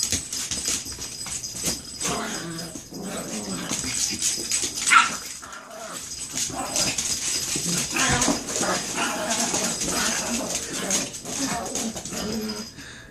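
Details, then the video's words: Fighting Chihuahuas giving a continuous run of high whimpers, yaps and snarling noise indoors, uneven in loudness, a sharp peak near five seconds, faint talking in the background. "Chihuahua Fight Club"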